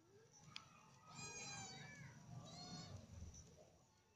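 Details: Alley cats reacting as a snake enters their lane: two drawn-out, harmonic meows about a second apart, the first longer and arching, the second shorter, over low background rumble.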